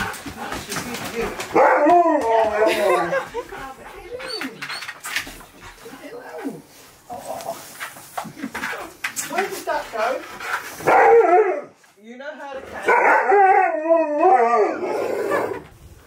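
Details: Siberian Husky Keyush, indoors, excited after a recording says his best friend is coming over, gives wavering, yodel-like howling vocalisations in several bursts, rising and falling in pitch, with a person talking between and over them.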